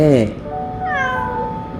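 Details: Talkative young domestic cat, raised from a stray kitten and friendly to people, meowing while having its belly stroked; a short harmonic meow opens, then a rising whine-like tone with background music.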